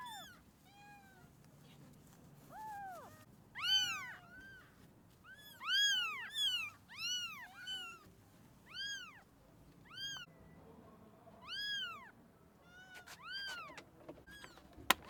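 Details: Rescued abandoned kitten that survived two days in -11°C snow without food or shelter meows over and over, a long run of loud, high, arched cries, some quick and clipped, others drawn out, roughly every second.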